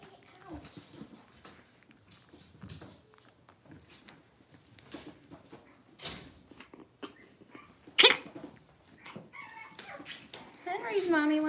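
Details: Cavalier King Charles Spaniel puppies, six weeks old, during deworming and nail trimming in their pen; scattered sniffs and clicks, a sharp sneeze-like burst, then rising high-pitched whimpers and whines toward the end.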